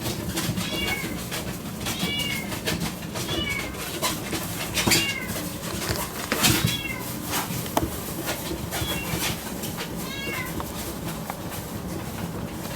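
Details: Male Yorkshire Terrier puppy, born 2 May 2022, at a pet shop in Yokosuka, Kanagawa, Japan: high, thin whimpers that bend downward, given in short bursts about once or twice a second over steady room noise and faint knocks.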